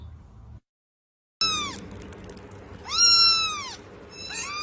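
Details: A cat gives three drawn-out, arching meows that rise and then fall, after a short stretch of silence, over a steady hiss of background noise.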